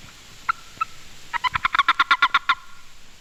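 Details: Boreal toad (Anaxyrus boreas boreas), a male, gives short, rapid chirps in a pulsed burst: the warning chirp or release call made when seized by another male during breeding. It tells the clasping male he has grabbed another male. This species has no mating call.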